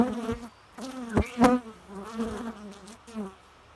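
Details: Close bee buzz, a deep harmonic drone in short pulses with loud clicks near the middle, the humming waxing and waning as the insect shifts position.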